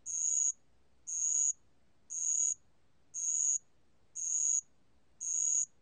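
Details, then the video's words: Bell cricket (알락방울벌레), from a 2020 national biological resources archive: high, ringing chirps about half a second long, repeated steadily about once per second, six in a row, with no other clear sounds. "알락방울벌레, 여러번 듣기, 곤충소리"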